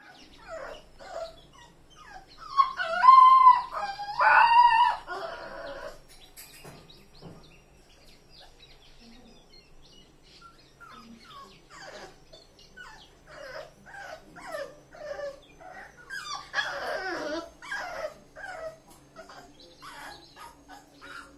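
A Rottweiler puppy whines and yelps in high, wavering cries, loudest early on, then softer whimpers.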